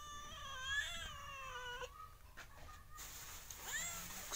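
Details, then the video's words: Kitten or cat giving a long, high, wavering mew that slowly falls in pitch, then shorter thin cries later, against a soft background hiss. "Funny Cats And Kittens Meowing"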